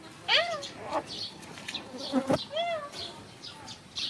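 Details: Puppies at play give high, arched squeals and yelps, several in quick succession, over a steady hissing, buzzing background.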